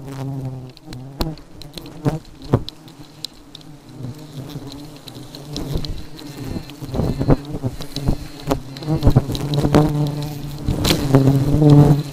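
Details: Aggressive honey bees in a sustained buzzing swarm, a deep humming drone that grows louder toward the end, with many quick ticks and knocks scattered throughout.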